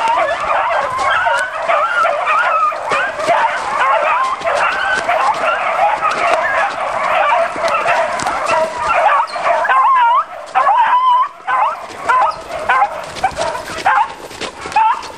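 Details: Beagles out hunting give voice as a pack: a dense, unbroken chorus of overlapping bays and yelps. Near the tenth second, drawn-out wavering howls rise above the rest.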